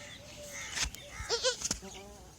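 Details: Newborn kid goats on their first day at a farm give short, wavering, high bleats in quick succession, with sharp clicks and thumps in between. Birds such as partridges, sparrows, bulbuls and mynas are around the farmland.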